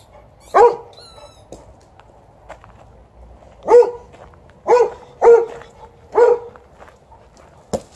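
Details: A 12-year-old Golden Retriever named TJ barks to ask for a game of fetch after a morning walk, alongside an Alaskan Malamute. Five sharp barks ring out at irregular intervals of about one second, with a soft squeak early on.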